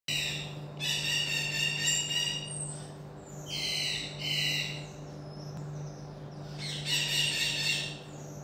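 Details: Common marmoset kept as a pet, giving four bursts of shrill, stacked, slightly quavering calls, each about a second long, separated by short pauses over a steady low electrical hum indoors.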